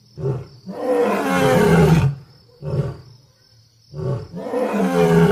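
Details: Lion roaring with harsh, noisy, deep bursts, some short and some drawn out over a second or more, with a thin steady high tone in the background.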